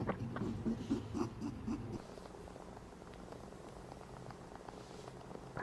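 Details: A rabbit gives a low, rapid, pulsing purr mixed with soft grunts, labelled as grunting and purring, then falls quiet.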